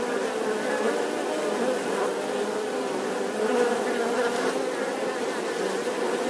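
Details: Bees humming steadily, a low droning buzz with wavering pitch and rich overtones, unbroken and even in volume.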